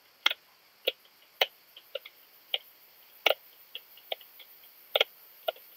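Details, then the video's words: Leptophyes laticauda, the long-tailed speckled bush-cricket, recorded at Rebici, Croatia, on 12 July 2022, giving brief sharp ticks, some doubled, at uneven intervals of about half a second against a quiet hissing background. "Leptophyes laticauda -- Südliche Zartschrecke -- Long-tailed Speckled Bush-cricket"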